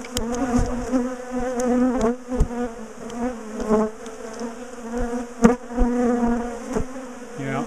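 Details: Large bee colony in a garden top bar hive, known for chasing its owners, being dismantled and split for moving; dense continuous humming buzz with rich overtones, broken by sharp knocks and clicks of handling.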